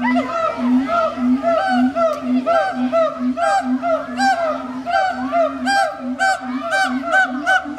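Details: Captive howler monkeys at the Riverbanks Zoo calling fast and loud: a steady run of rich, harmonic, arching hoots, roughly three to four per second, sustained for about eight seconds with no pause.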